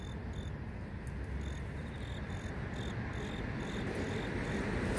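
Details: Grass insects singing in the city, where cars and mosquito-fogging motorbikes pass. Thin, high chirp pulses repeat rapidly and unevenly above a heavy, steady low rumble of traffic noise that grows slightly louder toward the end.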